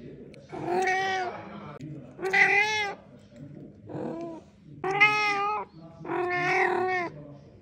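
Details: Chatty male house cat giving a run of five meows about a second apart, some rising then falling in pitch, rich and nasal, with a quieter short mew in the middle.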